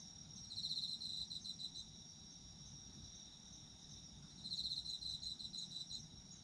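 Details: Autumn insects calling: two short bursts of high, rapidly pulsed trilling, each lasting about a second and a half, rise over a steady, shrill, ringing chorus of other insects, with a faint low rumble beneath.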